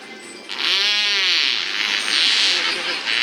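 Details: Killer whales (Kasatka, Nakai, Shouka) at SeaWorld San Diego give a short, arching call with a rich, nasal tone, played during an afternoon show on Dec 7 2015, followed by crowd noise; each pod has its own dialect of calls.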